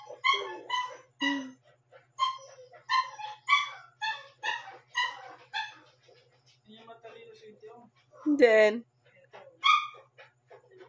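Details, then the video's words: Shih Tzu pup, one month and seven days old, barking around 12 am: a quick series of sharp, high yaps for six seconds, then a quieter murmur and one louder yelp. "shitzu 1 month And 7 days tumatahol na pala"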